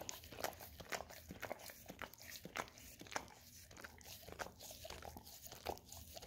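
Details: A pet Golden Retriever licks an Orapup tongue cleaning brush smeared with peanut butter; dense run of moist smacks and brushy scraping, bursts of licks with small gaps, in a quiet indoor room.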